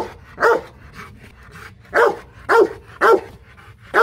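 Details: Aggressive Rottweiler named Loki at a kennel in Hoàng Mai, Hanoi, Vietnam, giving deep, loud single barks, five sharp blasts spaced irregularly about half a second to a second and a half apart against a quiet background.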